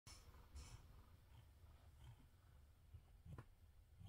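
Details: Cat getting belly rubs alongside purring kittens, recorded on an evening of December 30: a low, steady rumbling purr with faint soft pulses, plus a few quiet clicks and rustles.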